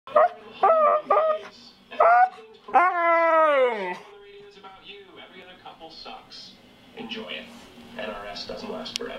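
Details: Male pet dog "talking" to its owner: a run of short, wavering, whine-like yowls, then a longer drawn-out moan that slides downward, followed by quieter murmuring sounds and faint voices.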